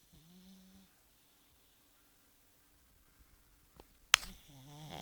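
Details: Pug named Bosya snoring indoors: a low harmonic snore near the start, a quiet pause with faint clicks, then a louder rasping, buzzy snore rising at the end.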